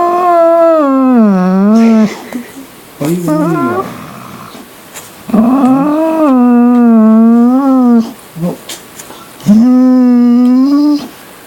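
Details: A dog making weird noises: long, wavering howls with a clear tone, each about two seconds long, dipping and rising in pitch. Brief lower whimpers come between them, and the howls return roughly every three seconds.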